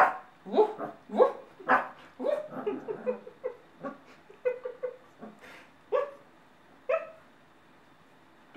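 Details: Male Bernese Mountain Dog puppy, number four of a kennel litter, giving its first woofs: short yelping barks and yips in irregular bursts, some stacked closely, then spaced single woofs toward the end.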